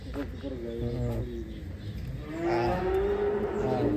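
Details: Ken Arok Bimasakti, a giant cow prepared for a DKI Jakarta cattle contest in Indonesia, lets out drawn-out, tonal lowing in two stretches amid a noisy background of voices and crowd sounds.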